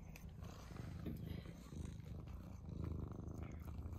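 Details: Tuna-loving pet cat, one of the pair Mouse and Remi, eating indoors; steady low purr swelling toward the end, with faint chewing and a woman's voice nearby.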